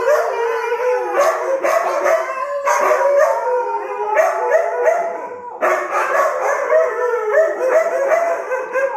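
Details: A chorus of pet Siberian Huskies howling in unison for their owner: dense overlapping wavering howls with yippy breaks, briefly easing off around the middle before swelling again into loud layered howling.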